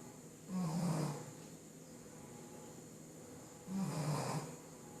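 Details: Sleeping Shih Tzu snoring, two low rasping snores about three seconds apart, each roughly half a second long, over a steady faint hum.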